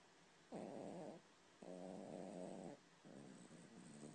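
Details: Dog asleep and snoring, three rasping breaths in a row, each about a second long with short quiet gaps between, the last one softer.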